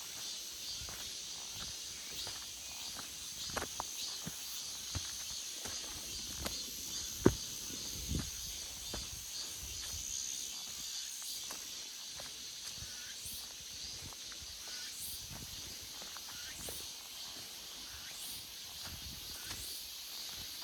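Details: Cicadas singing in a forest in August: a steady, dense high buzzing drone that holds throughout, with scattered soft clicks and a few sharper taps, perhaps footsteps, near seven seconds.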